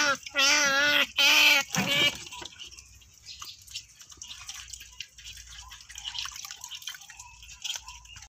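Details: Otter giving two loud, wavering squeals of about a second each, rich in harmonics, in the first two seconds, followed by quieter dripping and trickling water sounds for the rest of the recording.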